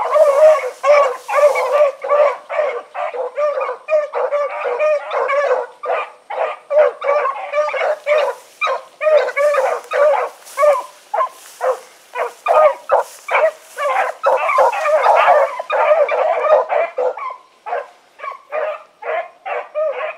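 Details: Hunting dog pack of four, Choco, Dino, Johnny Ringo and Mingo, on an evening run, recorded 16 August 2014; rapid overlapping barks and bays from several dogs, over two per second, continuous for twenty seconds.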